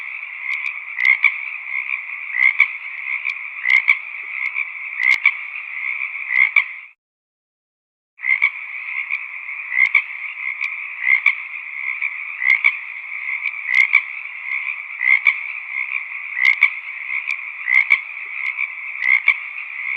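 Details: Many frogs in a valley croak together in a dense, steady chorus of rapid, raspy pulses.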